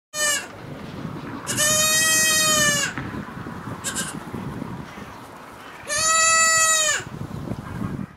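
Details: Young kid goat at a farm in Düsseldorf, Germany, bleating: two long, steady, nasal bleats of about a second and a half each, with shorter fainter bleats between them, over constant background rustling noise.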